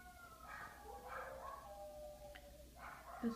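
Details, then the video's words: Several pet dogs howling indoors when left behind as their owner goes upstairs; overlapping drawn-out, wavering tonal howls rising and falling, fairly quiet, with a faint thump near the end. "Howling dogs"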